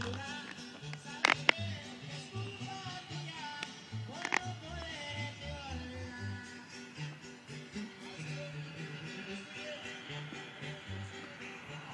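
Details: Latin-style music with guitar and occasional voices, no animal sounds.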